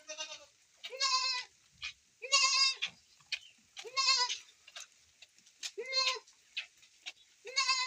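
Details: Goat being milked in the rain, calling repeatedly: about six strong, nasal, quavering bleats roughly one to one and a half seconds apart, with light knocks between them and constant rain hiss behind.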